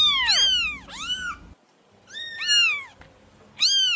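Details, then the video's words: Kitten mews used to call cats out of hiding: high, arching harmonic cries, two close together, then a pause and two more, each sliding up then down, with a faint low hum between calls. "SUARA PEMANGGIL KUCING, 100% AUTO NONGOL"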